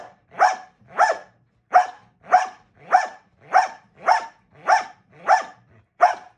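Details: During box work training, a dog gives evenly spaced, forceful barks, about eleven in six seconds, each short and punchy, against a quiet background.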